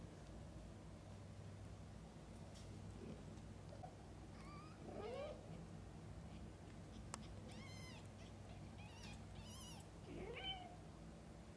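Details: Mother cat feeding and bathing her kittens; scattered high, wavering kitten mews and squeaks come in short bursts, a few sharper cries near the end, over a low steady hum.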